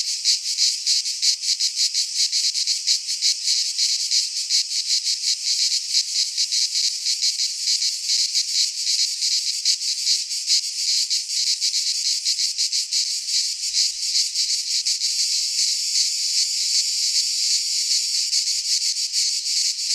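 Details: Greek pine forest cicadas singing in midsummer, an unbroken high-pitched rasping drone whose fast pulsing smooths toward a more even hiss in the later seconds, no other sounds clearly present.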